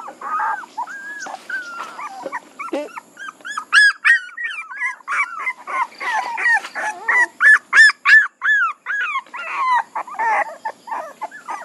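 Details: Puppies whimpering and yelping in a rapid stream of short, high, arched whines, several voices overlapping, with a brief pause before a louder run of sharp yips in the second half.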